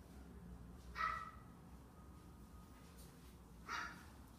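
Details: Red male Shiba Inu, born 9 August 2017, gives two short, high whining calls about three seconds apart, each with a brief bright tone, in an otherwise quiet indoor setting.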